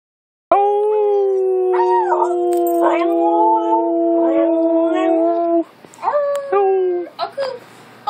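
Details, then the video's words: Siberian Husky howling indoors while its owner encourages it to make noise: long sustained mid-pitched tones with steady harmonics, voice wavering and breaking into shorter yodelling notes near the end, with a person's voice chiming in. "Siberian husky howling"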